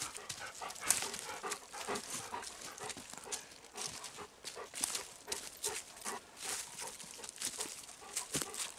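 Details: Golden Retriever Kohaku walking through still, windless woods, breathing with a chuffing, locomotive-like rhythm; quick breathy bursts repeat steadily under crunching footsteps of people walking alongside, with no birds or insects audible.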